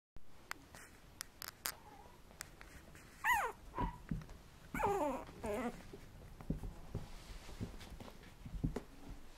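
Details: Red male poodle puppy that has just learned to toddle, giving a few high, falling whimpers midway through an otherwise quiet recording with scattered tapping clicks.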